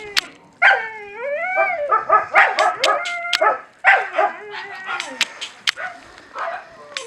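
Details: Feeding Husky puppies produce rapid, overlapping whines that bend up and down, several pups calling at once, punctuated by crisp clicks and smacks.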